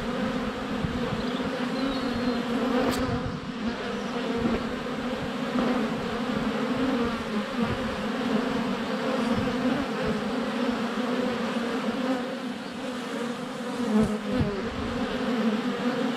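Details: A steady, low droning hum of many Western honey bees flying at a hive entrance on a sunny February day, with brief louder buzzes as individuals pass close or land on the camera; birdsong, goats and chickens also audible.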